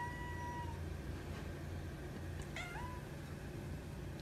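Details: A calico polydactyl cat, whining while being offered turkey, gives two soft, high meows, the second a brief rising-then-falling mew.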